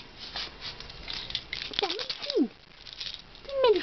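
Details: Domestic cat named Sobey, indoors while being given her medication, gives three short meows, the first rising then falling and the next two sliding downward, amid rustling and a person speaking Swedish to her.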